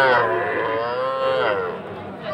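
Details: Sahiwal calf at a cattle market in Ambari, Dinajpur, Monday 20 February, giving one continuous moo that slowly falls in pitch and lasts about two seconds, with people talking nearby.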